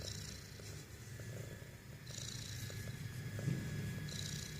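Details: Domestic cat making a snoring sound while awake, a continuous low rumbling pulse, rapid and fairly even, with soft airy breath noise swelling at intervals.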